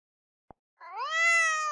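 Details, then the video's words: After a soft click, a single cat meow starts low and rises, then holds a bright, harmonic-rich tone for nearly a second, loudening as it goes. "Funny Cats Sound"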